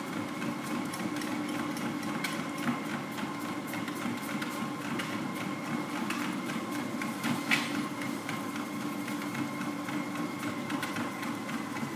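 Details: A steady mechanical whirring and rapid clattering, like a motor or machine running, continues throughout with no animal sound.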